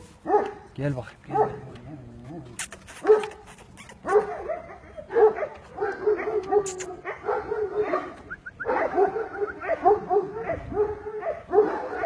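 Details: Aksaray Malaklısı dogs on an Aksaray Malaklı farm barking almost continuously, rough and irregular, with overlapping woofs, a few sharp clicks and human voices calling in the background.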